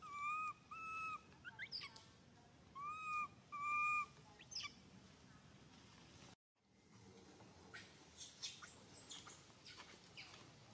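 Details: Young monkey SUCA cries loudly, hurt after SUSAN grabs him. Paired, sustained wavering wails come in short bursts over the first seconds, then give way to rustling and scraping noise after a brief gap.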